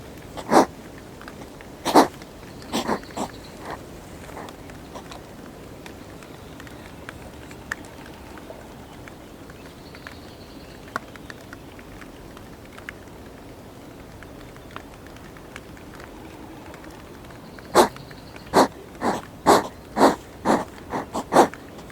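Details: Hedgehogs fighting over territory with spikes up, filmed on a GoPro; sharp broadband snorts and huffs come in a quick cluster at the start, fall quiet through the middle, then return as a rapid run of bursts near the end.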